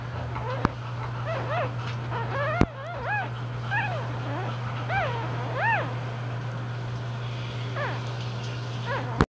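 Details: Newborn English Bulldog puppies, about two hours old, litter of three females and one male, give a run of thin, squeaky squeals, each rising and falling.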